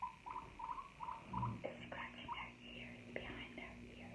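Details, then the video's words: Indoor guinea pig opens with a string of brief, even squeaky notes in quick succession, then falls quiet amid rustling and crunchy chewing-like noises with a faint hum. "Guinea Pig ASMR"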